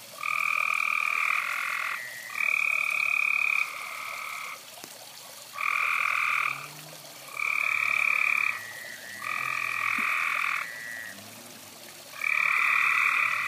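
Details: A few frogs calling near a fireside; bright two-toned trilled croaks lasting one to two seconds each repeat in bouts separated by short pauses, with overlapping callers and a soft low background hum.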